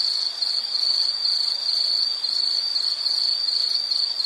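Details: Insect calling as a nature soundscape for study and sleep relaxation; a steady high-pitched trill pulsing almost without break, with faint higher overtones and no other sounds.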